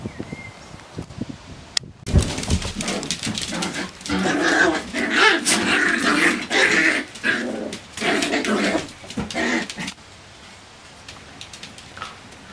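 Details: Nine-week-old Bichon Frisé puppies from a litter, heard indoors making dense, scrappy growls and yaps in rapid irregular bursts for about eight seconds, then quieting to faint background noise.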